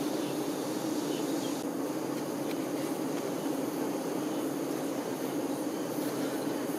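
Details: Worker honey bees tending the queen bee produce a thick, even drone that holds steady from start to finish, a continuous low hum with a rough, grainy texture.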